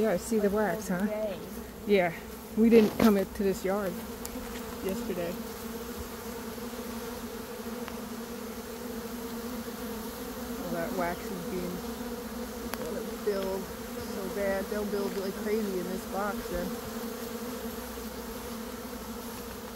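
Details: A honey bee swarm being caught into a box in early May, after a nectar dearth. Dense, even buzzing drones beneath bursts of a man talking in the first seconds, then continues mostly alone.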